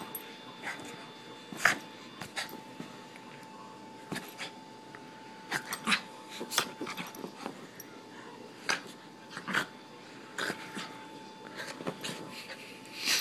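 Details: Excited Miniature Pinscher indoors, worked up in front of the camera: scattered short sharp yips and snorting huffs at irregular intervals over a steady electrical hum.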